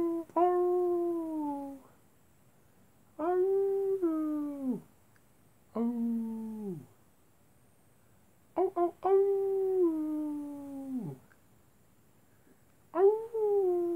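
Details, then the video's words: Wolves at night howling in a series of falling howls, five in about fourteen seconds, each starting high and gliding down, separated by short silences. "wolves at night time"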